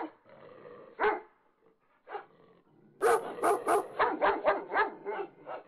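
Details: A French Bulldog, reacting during a fight after his partner left him alone, gives scattered whiny yips, then a quick burst of short, sharp barks.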